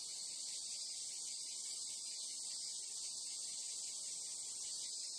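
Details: Steady, piercing trill of numerous Japanese crickets or cicadas blending into a seamless high drone, level and unchanging across the whole stretch, no other sounds standing out.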